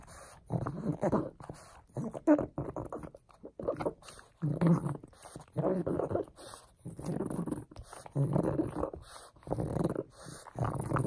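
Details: Frank, a pug playing with a bone, makes raspy, snuffling grunts in short bursts of about a second each, separated by brief pauses, with quiet noise between.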